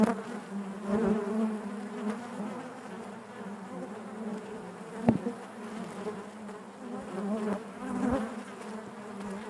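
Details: Inside a hive, honey bees keep up an even buzzing drone, low and layered with harmonics, steady throughout with a sharp click around five seconds.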